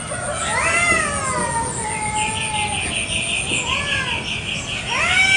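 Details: Village cats fighting over territory in a garden, morning: sliding, wavering yowls, with a steady pulsed high chirring running through the middle and a fresh rising wail at the close.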